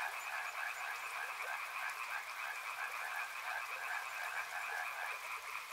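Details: River frogs in full chorus, overlapping quick croaks blending into an unbroken pulsing drone, with light background noise.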